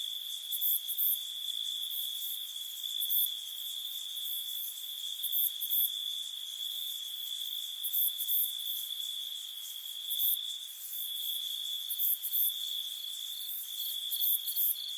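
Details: Crickets at night give a steady, high, ringing trill, with sharper insect pulses layered above it.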